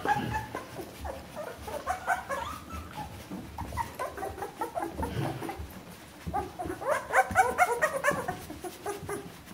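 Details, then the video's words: Two-week-old Bernese Mountain Dog puppies squeal in bursts of high, quavering whimpers, quieter in the middle and rising into a dense cluster of cries near the end. "Jeanies und Captains Welpen 14 Tage alt Bernese Mountain Dog Puppy"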